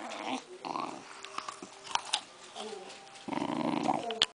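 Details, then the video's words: Rat Terrier named Henry eating an apple indoors on October 25, 2009; low rumbling growls in bursts alongside crisp chewing and crunching clicks, a louder growl run near the end. "Nom Nom Nom - Henry Eating an Apple"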